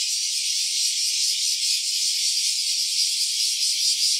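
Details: Steady rasping buzz of a cicada in stereo recording, an unbroken high rattle with faint rapid pulsing and even loudness from start to end.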